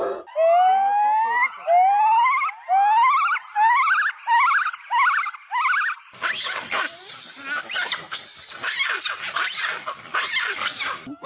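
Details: Monkey vocalizations: a run of harmonic calls that sweep upward, repeated roughly every second for six seconds, then give way to harsh, noisy, broadband screeching.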